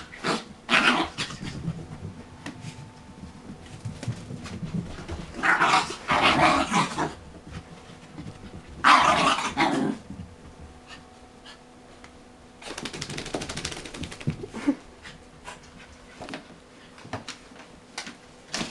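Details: Bullet and Tyke, two dogs wrestling in play after a bath, give rough growling bouts spaced several seconds apart, with quieter stretches and scuffling in between.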